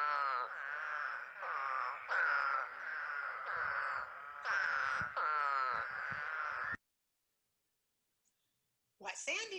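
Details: Drawn-out nasal groans from eastern spadefoot toads, heard after heavy rain in spring, several moaning calls overlapping for nearly seven seconds before falling silent, then a brief sharp voiced sound at the end.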